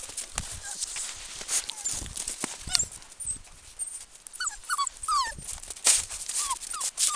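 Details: Five seven-week-old Samoyed puppies, two males and three females, giving scattered short high whimpers and squeaky rising-falling yelps among rustling and shuffling noises, the calls clustered in the middle and final seconds.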